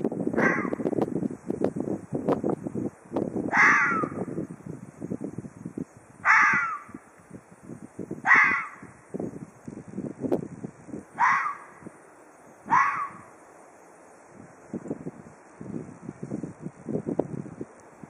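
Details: Ezo red fox in Hokkaido giving threat calls: six harsh, hoarse screams, each dropping in pitch, spaced about two to three seconds apart, over background music and an occasional human voice.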